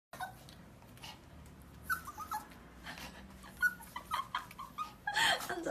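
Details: Maltese puppy whining to be let out, with short high whimpers and yips scattered through a few seconds, a brief spoken word near the end.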